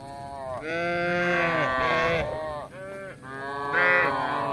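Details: Tame cattle wandering a village looking for grass: a sustained harmonic moo lasting about two seconds, followed by shorter bending calls, rather bleat-like in tone.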